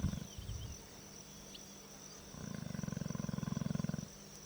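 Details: Snoring lion in Kenya, a deep rattling inhalation made of rapid regular pulses lasting almost two seconds after a shorter earlier breath, over a constant high-pitched insect drone.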